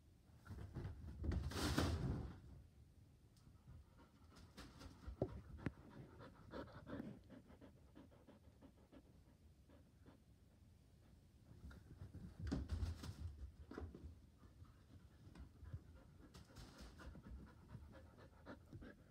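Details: Indoors on the couch, a Border Collie wanting to play ball pants rapidly and steadily, about four breaths a second, with louder breathy surges near two and thirteen seconds in a quiet small room.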